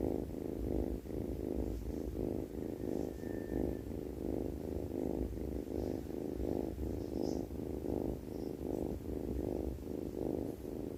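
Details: Sleeping cat snoring: a steady low rumble pulsing roughly every half second in soft rhythmic waves through the whole stretch. Faint thin high clicks appear now and then; no other sounds stand out.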